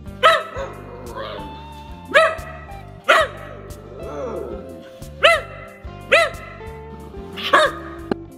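A whippet gives six sharp, ringing barks at an uneven pace, roughly one every second or two, over steady background music.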